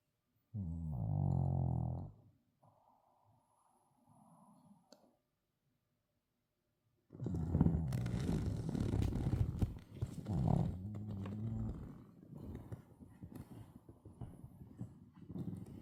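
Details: Sebin the Shih Tzu, worn out and asleep, gives one deep rumbling snore, then goes quiet. Later comes a stretch of rustling, shuffling noise with muffled low snuffles.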